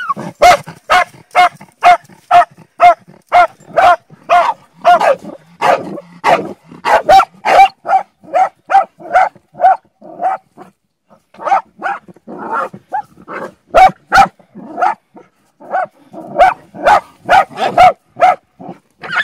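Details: Bull Terrier, a hunting dog, barking almost nonstop in a fast series of loud, harsh barks, roughly two per second, with a short lull midway before the barking resumes.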